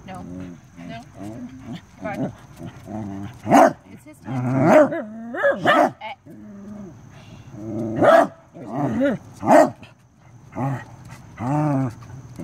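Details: Corgi dog during a close encounter with a stink bug, giving several loud, sharp barks with rich overtones in the middle and later part, mixed with softer voiced grumbles and a person's encouraging speech.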